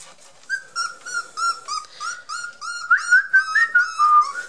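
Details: Border Collie puppies Yack and Star, 23 days old, blue merle and black-and-white, give a run of high, thin, slightly wavering whimpers about twice a second, growing louder and rising a little toward the end, in a quiet room.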